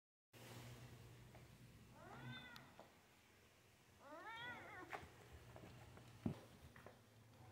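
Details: Indoor pet cat, excited by a squirrel visiting the window. Two soft, chirping meows, each rising then falling, sound about two seconds apart over a quiet room with a low steady hum.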